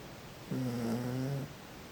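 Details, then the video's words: Nemuro the toy poodle sleeping against someone's back gives one drawn-out, droning snore lasting about a second, low and buzzy with a steady hum, in a quiet indoor room. "トイプーネムロ いびきはどうなの？"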